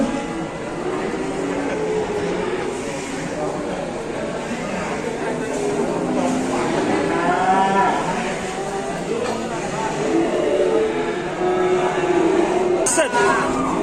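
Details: Angry, rampaging cow in an Indonesian cattle barn, several drawn-out, wavering moos rising and falling over noisy barn background, with a sharp knock near the end.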